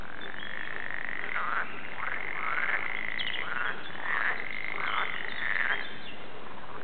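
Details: Frogs at the Warande in Tilburg sing in a continuous chorus: one sustained, even trill runs throughout while brief rising croaks pop out about every half second to second above it.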